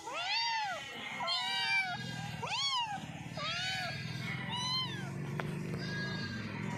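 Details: Cat meowing while eating, five or six clear arched meows that rise and fall, roughly one per second, over a steady low hum.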